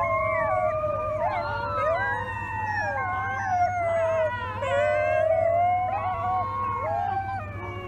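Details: Wolf pups finding their howls: several young voices overlap in a wavering chorus of long, sliding howls that rise and fall, some breaking into higher yips, over a steady low hum.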